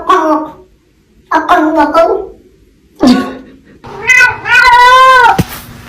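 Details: Pet cat indoors in a small room making loud, rough meows, a few short nasal ones followed by a long, wavering, drawn-out cry.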